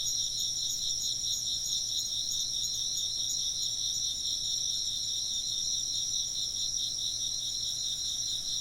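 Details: Insects chirp in unbroken chorus, high and piercing, a lower pulsing trill beating steadily under thin, sustained upper tones.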